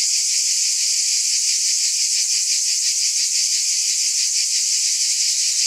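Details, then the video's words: A continuous shrill cicada chorus fills the recording, a high electric hiss with a slow wavering pulse and even volume throughout. "Mmm! Scintillating Cicadas 1 hour White Noise"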